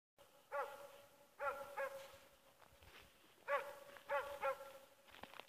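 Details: Dog Ackers Åndorra, called Schampoo, amusing herself on 15 November 2014 around midday: short, clear, tonal barks in small bursts of one to three, over a quiet hiss.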